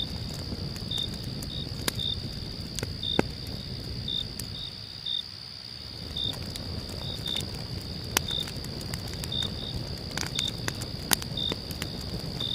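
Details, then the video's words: At a night campsite, a continuous shrill cricket trill carries on with brief chirps at uneven intervals, while a crackling fire snaps sharply now and then. Low background noise dips briefly midway. "1 hour calm night camp with cricket sounds and crackling fire for sleep"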